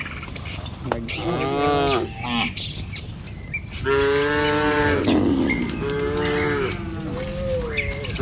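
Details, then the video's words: Tame village cows in a row crossing a wooden bridge on their way to grass: overlapping long, rich moos, several in close succession, with bird chirps and soft rural background noise. "Sapi Lembu Jinak Berjejer Melewati Jembatan Kayu Menuju Rumput Sedap Suara Moouu"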